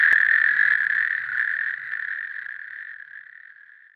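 A natterjack toad gives a loud, sustained rattling trill that slowly fades away.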